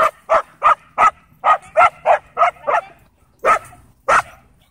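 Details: Pinned by a pitbull mix at a dog park, a German Shepherd cries for help in sharp, high yelps: eight rapid ones in quick succession, a pause, then three more spaced out.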